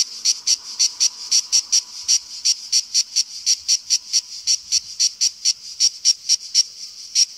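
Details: A cicada sings its shrill, deafening summer song, a steady run of harsh, buzzing pulses, about three or four each second.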